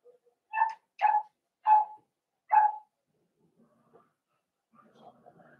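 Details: Four-week-old Cavalier King Charles Spaniel puppies indoors in a puppy pen: four short, tonal, whining yelps in quick succession over about two seconds, then faint soft rustling and low murmurs.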